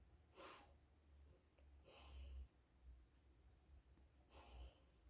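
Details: Alaskan Malamute female dozing in a bed, giving three airy snorting exhales at irregular intervals over a faint low background hum indoors.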